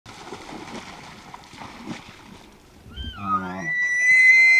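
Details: Elk (Cervus canadensis), bugle.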